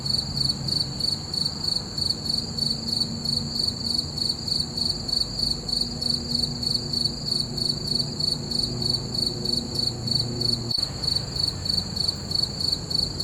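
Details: Full-moon night with crickets: rapid, even pulses of thin high chirping carry on unbroken, a gentle low rumble beneath and a short click partway through.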